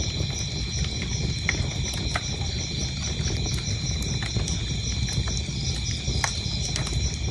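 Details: Steady, shrill cricket trilling with quick regular pulses sits over a crackling fireplace that pops loudly every second or so, with a low rumble underneath.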